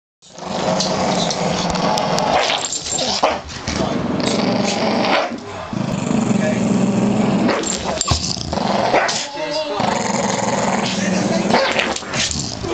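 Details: Two Staffordshire Bull Terriers growl continuously in rough, rumbling bursts while playing tug-of-war with a blanket.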